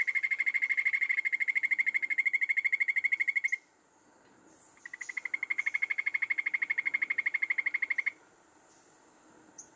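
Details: Golden poison frog, Phyllobates terribilis, a critically endangered Colombian poison frog, recorded during conservation research near Anchicayá, Colombia: a rapid, even trill of short pulses around a steady pitch, two long bouts separated by a brief pause, with faint high insect hiss.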